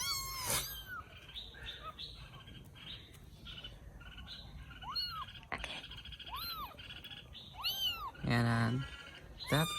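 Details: Rescued baby kittens in Vietnam, after eating and going to sleep, mew softly and intermittently in short arched cries, with a louder harsh burst near the end over low room hum and a man talking.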